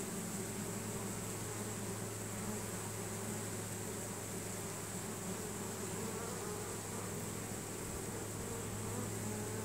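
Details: Swarming honey bees streaming into a new hive, drawn by Nasanov pheromone from other bees; continuous low hum layered with busy higher buzzing, unchanging in loudness.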